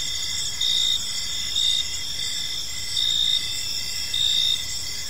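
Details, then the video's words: Crickets in an evening park, continuous shrill trilling with louder bursts of chirping arriving every second or so, over low ambient noise. "Park Serenade: Cricket Sounds in a Peaceful Park | Evening Ambience"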